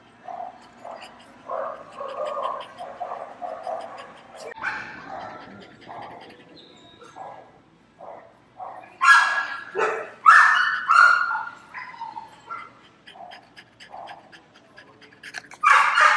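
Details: Dogs barking during a PetSmart shopping trip while a French Bulldog reacts; scattered barks at varying loudness mix with people talking, with a louder burst of barking in the second half.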